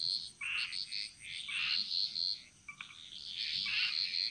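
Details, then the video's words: In Bali's jungle, many frogs call together in short bright chirping notes, overlapping and uneven, with a brief quiet gap midway before the chorus resumes over a faint steady hiss. "Frog Mantras - Relaxing Sounds Of Bali"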